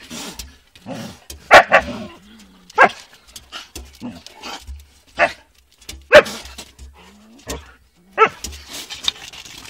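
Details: Dogs in a fight: a scrappy run of harsh barks and snarls at irregular intervals, some loud yelping peaks standing out over a steady low background rumble.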